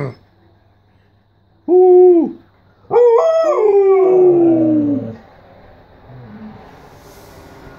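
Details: Siberian Husky "talking" with its owner: a short, steady, howl-like vocalisation, then after a pause a longer one that rises briefly and slides down in a wavering moan, followed by faint low background noise.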